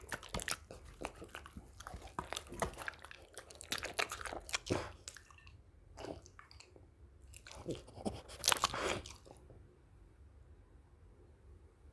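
Wet crunching and chewing sounds in a small room, with no animal calls heard.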